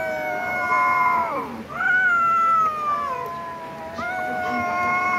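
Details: Domestic cats fighting let out drawn-out, wavering yowls. Each tone slides slowly downward. One long wail breaks off, a louder one rises and sinks, and another begins near the end. A steady low hum runs beneath.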